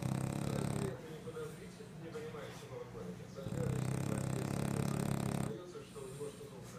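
A French Bulldog snores in long, deep, rattling bursts separated by quieter breathing.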